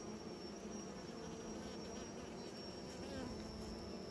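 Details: Bees busy making new nests, their buzzing forming a steady, dense low hum that runs without a break, with a faint thin high tone held above it throughout.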